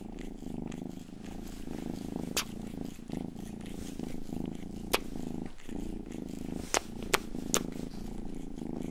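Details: Domestic cat Rang-i, the household's youngest, purring while licking an ear-shaped binaural microphone for ASMR: a steady, low pulsing drone with a few bright, crisp lick clicks scattered through.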